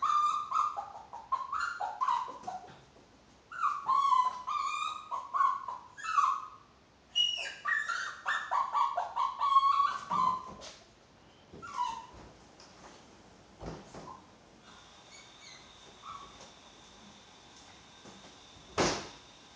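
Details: Chihuahua producing rapid bursts of whiny yips and howl-like cries, short wavering tonal calls in quick clusters, fading to quieter whimpers and soft indoor noises later on.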